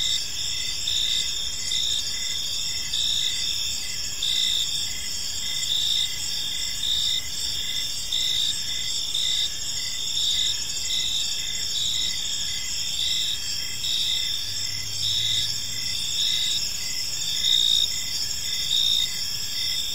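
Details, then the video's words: Crickets chirping in a peaceful park as evening unfolds; steady high-pitched pulsing bands layered in a dense chorus, with slight swells in loudness every second or so over low background noise. "Park Serenade: Cricket Sounds in a Peaceful Park | Evening Ambience"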